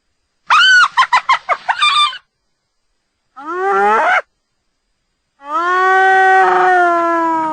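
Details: Hyena giving a quick burst of staccato, giggling notes, then a short rising whoop, then a long, steady, tonal wailing call.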